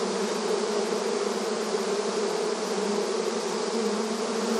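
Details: Honey bees busy at the entrance of their hive in a rural setting, a dense continuous buzzing hum with steady low drones and no pauses, many wingbeats blending into one even wall of sound.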